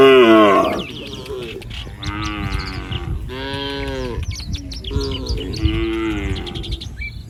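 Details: Street-roaming village cattle, a loud opening moo followed by three more harmonic moos about a second apart, with frequent bird chirps in the background.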